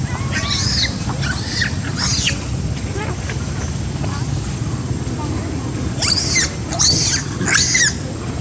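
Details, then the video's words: Monkey screaming as a baby is pulled away despite hugging him; shrill rising-falling screams in two bursts, three near the start and three more after a pause, over steady low rumbling background noise. "Scary terrible sound !! Filix pull baby aways even baby hug him, Poor baby"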